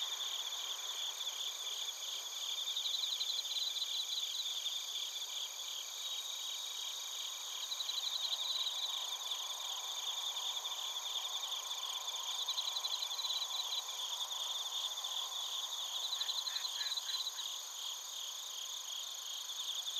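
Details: Bell crickets and field crickets chorusing in Narita, Chiba, Japan, captured on a TASCAM Portacapture X8: dense high trilling bands with pulsed chirp bursts swelling every few seconds, plus a brief lower chirp series near the end.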